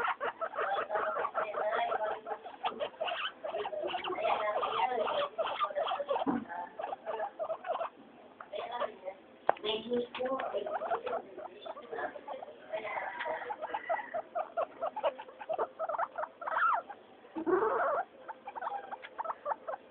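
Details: During floor time three pet guinea pigs, Mayumi, Archie and Miyuki, keep up a long noisy chorus of rapid squeaks and chirps, dense at first, then thinning into scattered bursts with a few longer sweeping squeals.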